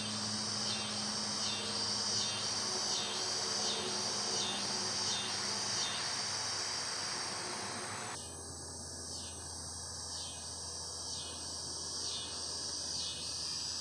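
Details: Chirping cicadas form a continuous shrill drone with rhythmic pulses; partway through the sound shifts abruptly, the buzzing thinner but still pulsing, over a low steady hum.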